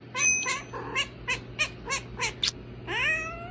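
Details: Domestic cats making funny, cute noises: a run of short, evenly spaced high chirping meows, about three per second, ending in a longer rising-then-falling meow.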